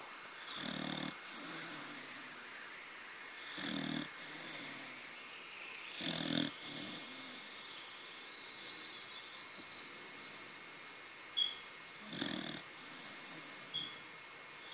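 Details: Young pet corgi named Taro snoring in sleep; rough, broadband snore bursts about every two to three seconds, separated by quiet pauses, with a faint steady electronic hum underneath.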